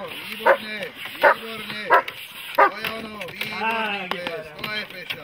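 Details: Dog barking during protection training: four hard, evenly spaced barks in the first three seconds, then quieter, looser sounds trailing off.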